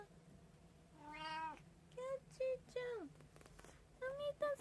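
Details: Several meows from one of three household cats, Abyssinian, Munchkin and tabby among them, recorded 6 January 2024 at feeding time: one long rising-falling mew, then shorter repeated mews, with a woman calling the cats to eat and a steady low hum.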